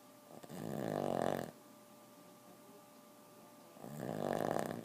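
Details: Boston terrier snoring: two long, swelling, rattly inhalation snores of over a second each, roughly three seconds apart, over quiet steady background.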